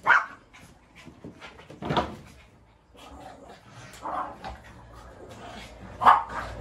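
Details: A Shih Tzu gives sharp, high yapping barks every two seconds or so, aggressive barking during a scrappy fight rematch.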